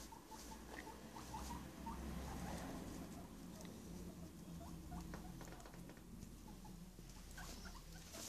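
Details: Pet guinea pigs, two males, back home after their daily outside activity to find their house rearranged, giving short soft squeaks in quick irregular series over scuffling and pattering movement indoors.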